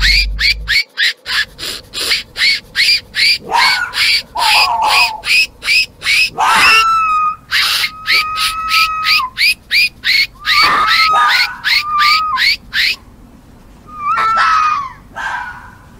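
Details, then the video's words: Mating-season fox calls: rapid, evenly repeated short barks run through most of the passage, mixed with thin whistled whining notes and a few rasping cries. "Fox calls and Barking | Fox Sounds | Fox Mating sounds"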